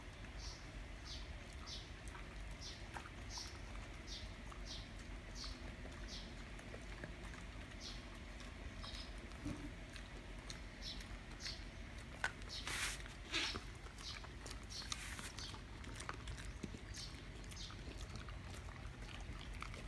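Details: Soft rhythmic panting from Siberian huskies as Candy, Cookie and Happy try to snatch Barry's treat stick, puffs coming in an even series, with a couple of brief louder rustling noises midway and a low background hum.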